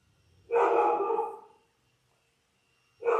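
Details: Ten-day-old Labrador Retriever puppies, one of a litter of six born January 18, 2022, on a live puppy cam: a drawn-out tonal whine lasting about a second, quiet pause, then another whine starting at the end.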